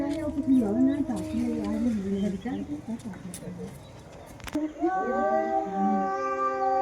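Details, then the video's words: Fight between two female domestic cats, heard as wavering, overlapping yowls that sag and rise, a short lull near four seconds with a sharp click, then a loud sustained rising howl. "The sound of two female cats fighting.दो बिल्लियों की लड़ाई।। Cat fighting"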